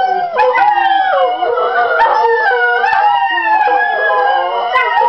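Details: Several pet greyhounds, a dark brindle, a small fawn and a light brindle, rooing along with a recording of other hounds; overlapping wavering howls sliding up and down in a continuous chorus throughout.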